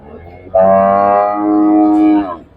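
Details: Cattle at a farm and market in Kerala, India, lowing: one loud, steady moo lasting nearly two seconds, rich and harmonic with a slight downward sag at the end, following faint speech.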